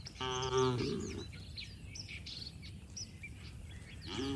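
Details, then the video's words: Cattle running and leaping playfully through mud in the open: one loud, harmonic-rich moo rising then cut short, followed by a quieter moo starting at the end, with many small birds chirping and twittering throughout. "Suara sapi Moo"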